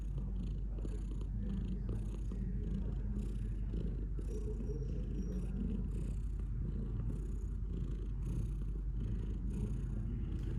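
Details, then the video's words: A pet cat purrs for several seconds in a low, even, throbbing drone that swells and eases with each breath, with slight background rustling. "Cat purring"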